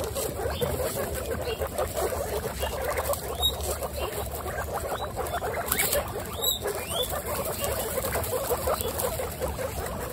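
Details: Twenty-six female pet guinea pigs kept together give a continuous busy rumble of overlapping low calls, with scattered brief rising squeaks and soft pattering and rustling in the background.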